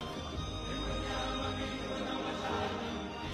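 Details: Steady, dense music with a full low end fills the whole stretch, with no animal voice standing out.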